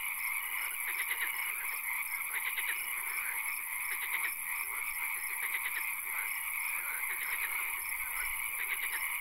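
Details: A chorus of frogs in a nighttime swamp with occasional rain: repeated short bursts of rattling, ticking croaks, several animals overlapping, above a continuous high drone.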